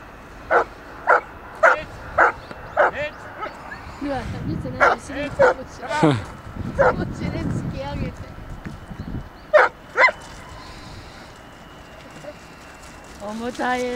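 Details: Irish Setter playing in a river in winter: a string of sharp barks repeated roughly every half second at the start and again near ten seconds, with human voices talking in between and a low rising sound at the end.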